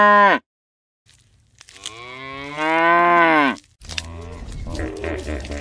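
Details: Cow, one of several animals filmed at Dai Nam Zoo and Vinpearl Safari, giving a long, deep, harmonic moo lasting about two seconds that holds steady then drops at the end. A brief tonal note comes just before it, and crunching, rustling noise follows.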